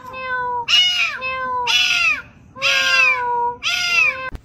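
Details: Domestic cat giving four clear, drawn-out meows about a second apart, each opening on a steady tone and then bending downward at the end, with a brief click closing the sequence.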